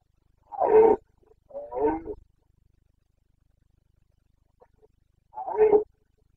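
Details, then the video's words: Carpathian stag in the forests of Bucovina during the September 2022 rut: two hoarse roars in quick succession, a pause of a few seconds, then a third roar. "Boncănit / Carpathian stag Breeding season"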